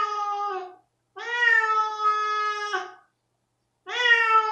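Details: ['Rosetta, a domestic cat that reacts terribly to an anti-flea pipette, gives sustained, even-pitched howling meows, one lasting nearly two seconds, followed after a pause by another loud rising wail.']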